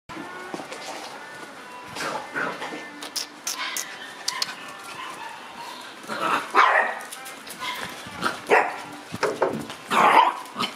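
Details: Shiba Inu puppies chasing each other in daily play, giving short bright barks and yelps scattered irregularly, loudest bursts around six and ten seconds, with human speech and faint music in the background.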